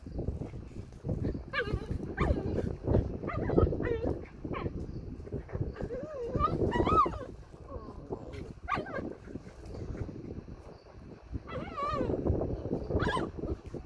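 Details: One-month-old puppy named Pashmak playing with a four-month-old puppy, giving high wavering whines and squeaky yelps scattered through the clip over steady scuffling and rustling of play.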